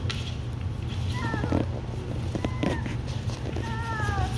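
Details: Three separate plaintive whines from Labradoodle puppies, each a short, slightly wavering tone that bends downward, spaced about a second apart. Soft shuffling and clicks come between them over a constant low hum.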